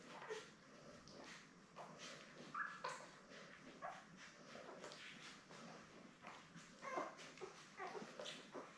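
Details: A litter of seven Labrador Retriever puppies, born May 24, 2021, nursing with their mother Belle, filmed on a live puppy cam on June 3. Thin squeaks and whimpering yips recur irregularly amid constant rustling and shuffling noises.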